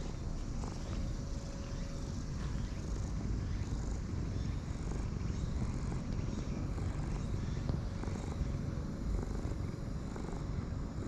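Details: Light brown and white stray cat with a sulky face, rolling around happily while being petted; a steady low rumbling purr runs throughout, with faint rustling and soft background hum.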